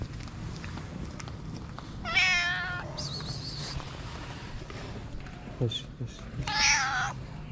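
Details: Stray calico cat with a black spot on its nose, on the street in Morocco, gives two drawn-out, harmonic meows about four seconds apart. A short high chirp falls between them, over a low urban rumble.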